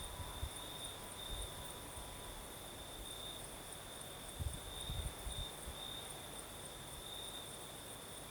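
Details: Crimean crickets sing through the night breeze on the southern coast: a continuous high trill that wavers gently, with rustling low wind noise and brief bumps around the middle.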